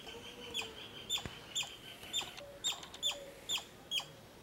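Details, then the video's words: Squirrel calling with clipped, sharp notes spaced roughly half a second apart, a few soft background whistles and a brief click also present. "Squirrel sounds video"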